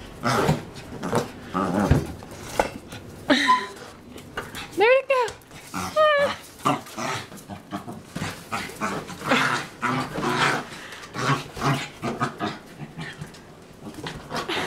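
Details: Rexie, a pet dog, battling a basketball indoors; rough growls and snarls, then a few rising high whines in the middle, with a person talking and encouraging him over the scuffle.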